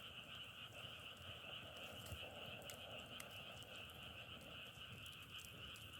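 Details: Frogs calling together in a loud, steady trilling drone, its upper tone strongest, with occasional sharp crackling clicks over a low rumble.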